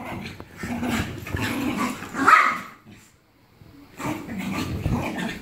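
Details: Jack Russell Terrier giving rough, noisy growls and snarls in a long burst of nearly three seconds, then a short silence, then a second growling burst for the last second and a half.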